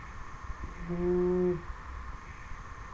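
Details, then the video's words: A sleeping 10-week-old Dobermann puppy gives a single half-second snore, low and tonal with a steady humming quality, in a quiet indoor room. "Dobermann Snoring"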